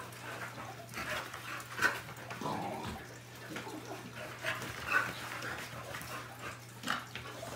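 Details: Two dogs, an American bully and a lab/collie mix, play with a new flirt pole toy; short rough growling bursts and a rising whine-like sound come through over scuffling, thumps and a steady electrical hum.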